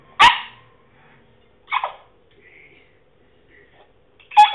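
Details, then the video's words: French Bulldog trying to bark, producing funny noises: three short hoarse yelps spread over four seconds, with faint squeaky whines in between. "French Bulldog makes funny noises"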